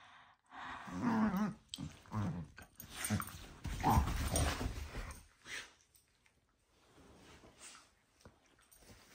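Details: Indoors, two dogs at bedtime play let out softer, muffled growls and grumbles, with a louder snarl near the middle. They fade into quiet rustling and low thumps toward the end.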